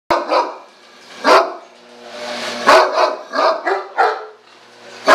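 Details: Great Dane barking: six loud, deep, abrupt barks at irregular gaps of roughly half a second to one and a half seconds, with quieter breathy sounds between them.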